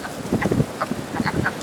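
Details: Chorus of wood frogs calling for mates at a vernal pool on the first warm, wet night of early spring: rapid, rough, quacking clucks, many frogs overlapping, low and throaty.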